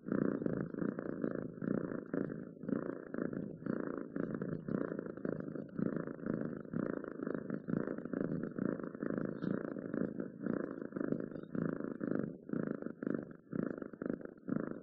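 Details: House cat purring softly and rhythmically, a low vibrating drone broken into regular short bursts with tiny gaps between breaths, nothing else audible.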